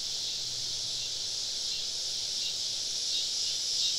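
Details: Summer evening cicada chorus deep in southern woods during a camping trip, the insects all around: an unbroken shrill hiss of many callers, faintly rising in loudness toward the end.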